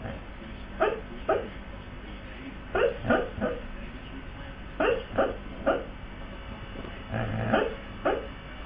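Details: Sleeping male Siberian husky giving muffled, stifled barks, roughly eleven short woofs clustered in pairs and triples, separated by quiet gaps of one to two seconds, with faint hiss throughout.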